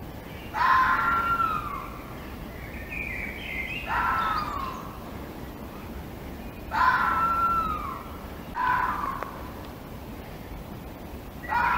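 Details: Fox. A fox calls with hoarse, wavering yelps that rise and then fall away, each lasting around a second. The calls come in spaced bursts every two to three seconds over a steady hiss of background noise.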